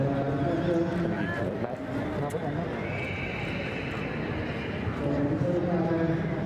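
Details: Welsh mountain ponies, a two-year-old filly and gelding, heard with a wavering whinny early on, amid steady human voices and clip-clopping hooves throughout.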